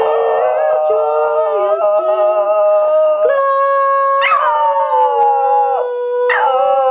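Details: A Border Terrier called Badger howls with a carol, Angels We Have Heard on High, sung by a woman: a wavering opening phrase, then long level notes each begun with a sharp upward swoop.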